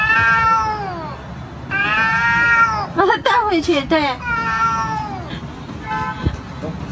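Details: Pet cat in a funny cat compilation uttering long, loud, drawn-out meows that slide downward, with quicker wavering cries in the middle and faint background noise.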